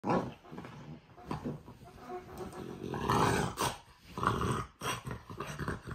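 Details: French Bulldog growling, a rough, rumbling low sound in irregular bursts with gravelly, snorting texture, loudest around the middle of the recording.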